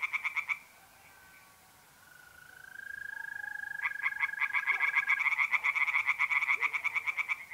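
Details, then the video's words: Tree frogs in a North-East Italy pond on a mid-April night: a short burst of rattling pulses, a pause filled by a mole cricket's steady trill, then the frog chorus resumes, fast and repeated. "singing tree frogs in pond"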